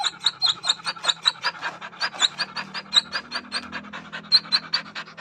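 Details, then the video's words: Dog placed in unfamiliar surroundings giving a steady run of breathy pulses, about two and a half per second, each carrying a thin high squeaky whine. A faint low hum sits underneath. "Dog whining sounds"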